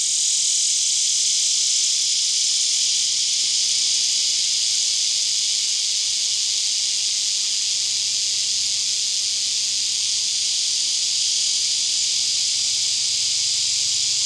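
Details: Male lyric cicada (Neotibicen lyricen) calling for a mate in Winslow, Arkansas, August 13, 2011, 10:15 am, abdomen arched and wings slightly parted. A steady, loud, high hissing buzz runs unbroken, over a background chorus of hundreds of cicadas.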